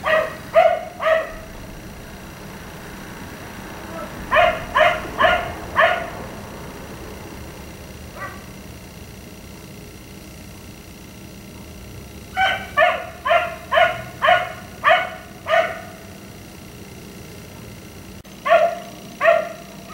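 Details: Night-time barking from a black Labrador retriever left out in a yard until 1am: irregular clusters of three to six sharp barks, separated by quiet gaps, with a faint constant hum behind.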